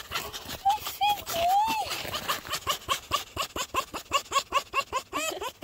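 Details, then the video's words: Fox greeting a familiar person, likely a pet or sanctuary fox: rapid run of short, high, chirping yips, roughly two or three a second, after a few longer rising and falling whines, with a woman's voice talking softly. "The fox welcoming committee"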